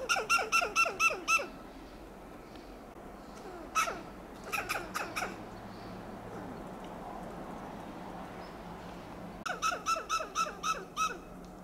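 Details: Western gray squirrel on a coast live oak in Del Monte Forest, California, giving loud alarm calls: three bursts of harsh, staccato clucking pulses, four to six per burst, separated by quiet gaps with faint background hiss.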